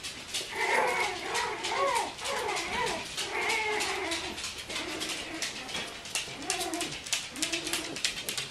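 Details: Bichon Frisé puppies from the V litter at Vejles Lille Kennel whimper and squeal indoors, with overlapping high, arching whines repeated about once a second amid constant rustling and clicking.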